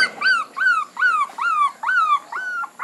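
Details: A puppy whimpers in a regular series of six drawn-out, falling whines, each about a third of a second long, repeated roughly every half second.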